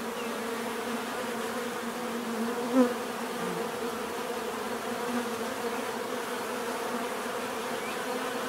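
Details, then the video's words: Many bees humming together in a constant, even drone; one louder bee passes close around the third second, then the swarm's steady buzz continues. "bees therapy relaxing natural buzzing sound"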